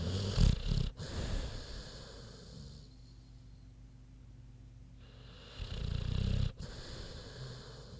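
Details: Queenie, a big pig, sleeping; low rattling snores at the start and again near six seconds, separated by quiet steady breathing.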